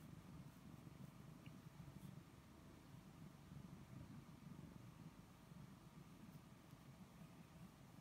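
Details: Snookie, a male pet cat, purring while being petted: a steady, low, rumbling purr with soft rhythmic pulsing that runs through the whole stretch, no voices over it.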